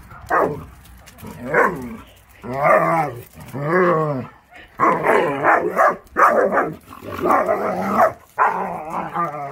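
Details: Akita Inu puppies in crazy yard play during the warm season, producing a lively series of about eight arching, harmonic yowls and barky grumbles, roughly one per second, growing rougher and noisier later on.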